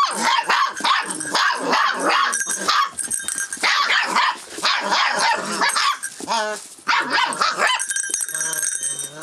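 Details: Rough Collie puppy, 44 days old, filmed 25 February 2012, reacting sensitively to changes around it; dense overlapping high yips and short barks, with some whining, crowd the clip almost without pause.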